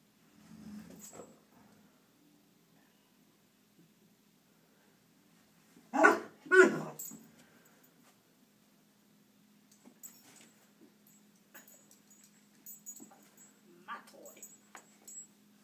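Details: A pet puppy gives two loud, quick barks in close succession midway through. The rest is quiet indoor background with a steady low hum and faint scattered small sounds.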